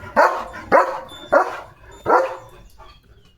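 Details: German Shepherd Leo, out in the countryside with his owner, gives four loud rough barks about half a second apart, then falls quiet, leaving faint background noise.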